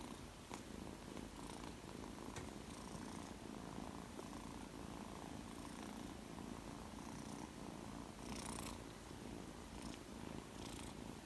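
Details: Two-month-old male Persian kitten, shaded silver, purring indoors shortly after coming home; low, even rumbling purr sustained throughout, with light scratchy rustling sounds here and there.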